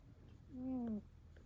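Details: British Longhair cat giving one drawn-out, low snoring tone that slides gently downward over about half a second, against faint room hum.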